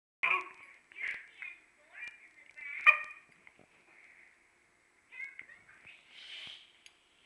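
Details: Dog Okami, eager to play, fusses and barks at Urd, who cannot hear him; sharp yips and short whining cries come in separate bursts, with quiet gaps and a softer drawn-out whine near the end.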